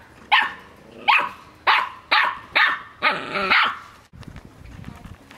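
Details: First venture outside for six-week-old Australian Shepherd puppies, yapping a run of six shrill barks at roughly half-second to second intervals, the last one drawn out, then quieter rustling and soft background noise.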